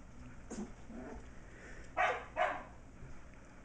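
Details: Almost six-week-old Shetland Sheepdog puppy MacTavish playing indoors in a great room with older dog Sasha and razzing other puppies in an enclosure; two sharp, bright yips close together after a faint earlier squeak, over low room noise.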